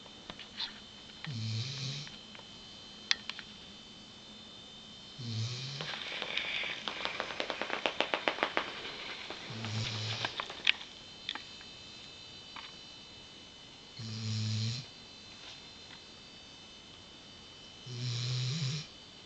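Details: A female Weimaraner snores in low, rumbling breaths that return about every four seconds during her afternoon nap, head on a pillow.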